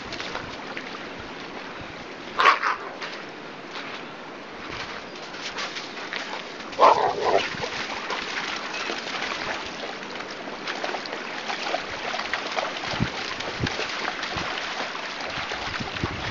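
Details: Two short, deep barks from one of two female Rottweilers playing in a river on their walk, over the steady rush of flowing water.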